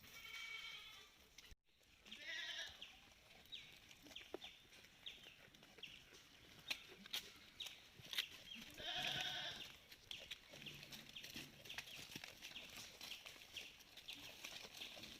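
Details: Malabari goats on a farm, taken outside for the day: a wavering, nasal bleat early on and another loud quavering bleat midway, over a steady series of high chirps and scattered clicks.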